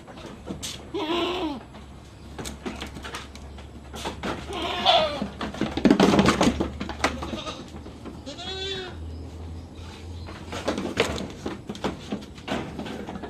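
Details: During iron injections for backyard farm goats, short tremulous bleats recur every few seconds among sharp clicks, thumps and rustling of animals being held, with a steady low hum beneath.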